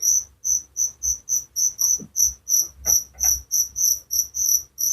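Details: Chirping cricket meant to lull listeners to sleep: sharp, very high pulses about three per second, even and continuous, with a few faint soft sounds underneath.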